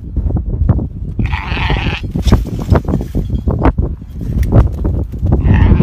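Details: In South Africa, Meatmaster sheep bleat twice, a quavering cry near the start and another at the end, with continuous hoof clatter and bumping noises in between.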